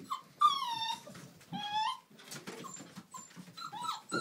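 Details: Playing Old English Sheepdog puppies, the female litter of Millie at Haverlands, give long drawn-out whines that fall in pitch, then shorter squeaks and yelps over light scuffling and small growls.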